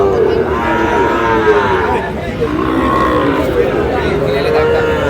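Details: Sahiwal bull calf at a cattle market in Munshiganj, Bangladesh, on 11 August, bought by a farmer. Drawn-out, tonal moos rise and fall, overlapping throughout over a steady murmur of crowd noise and voices of bargaining men.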